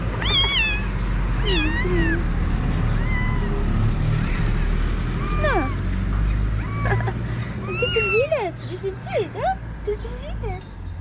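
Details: Stray kitten in Morocco meowing for its food-seeking mother: many brief, high, thin meows scattered across the stretch, some rising, some falling, over a loud steady low rumble of traffic or wind.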